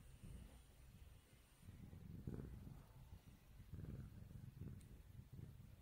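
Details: Low, throbbing purr from a kitten having its face rubbed, swelling and easing in rhythmic waves about every one and a half seconds.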